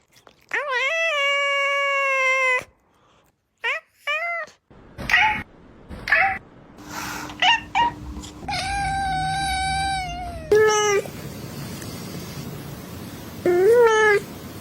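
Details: Cat giving drawn-out, steady-pitched meows: a long cry of about two seconds, then shorter mews, another long level meow and a few brief rising calls, with faint background rustling between them.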